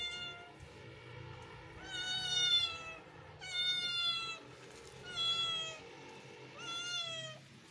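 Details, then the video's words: A neighbour kitten meows as other kittens watch in surprise: four drawn-out, bright, harmonic-rich meows, each about a second long, spaced roughly every one and a half seconds over a faint low background hum. "kittens is watching surprisingly to neighbour kitten voice meow meow"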